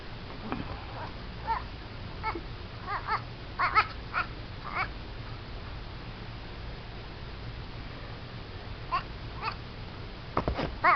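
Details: Baby goat making odd, duck-like noises: short, harsh, nasal bursts spaced irregularly, a quick cluster of several calls in the middle, then a few sharper calls near the end over a steady low background hum.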